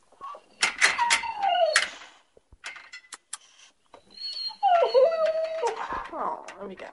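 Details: Lola, a seven-month-old Bullmastiff left on her own, whines to come upstairs: drawn-out, falling and wavering high whines in two long bouts, separated by a quieter gap with clicks and knocks.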